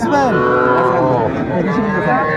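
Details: Small Sahiwal bull calves at a cattle sale where Dhaka farmers are buying, 11 February 2025, Bangladesh: a drawn-out, deep harmonic moo that sags slightly in pitch, with human voices murmuring underneath.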